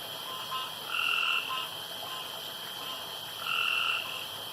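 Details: Male frogs calling around a pond after dark, giving two drawn-out harmonic croaks about two and a half seconds apart over a steady background hum of night sound.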